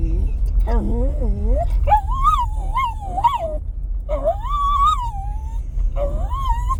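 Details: Impatient to leave the truck, Bo Duke the Jack Russell terrier gives a run of high, bending whimpers, short swoops then longer sustained wails, against the deep drone of the idling vehicle.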